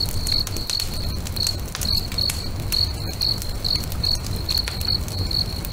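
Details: Evening crickets beside a lake trill in short bright chirps about two per second, steady and rhythmic, against the dense crackle and occasional sharp pops of a bonfire at sunset.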